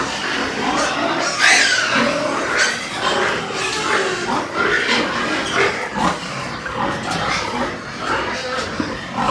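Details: Group of white farm pigs in Nepal. Irregular harsh squeals and short grunts overlap into a busy, noisy chorus, with occasional sharper shrieks standing out.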